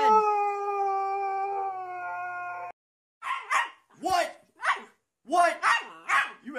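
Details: Dog told to get out of bed answers back with a sustained, even howl lasting under three seconds, followed by a person's scolding voice in short bursts.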